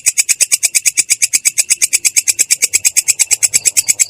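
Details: Belalang kecek katydid calling in ngerol fashion, its sound clear yet rough: a steady run of sharp buzzy chirps at around seven per second, uniform in loudness.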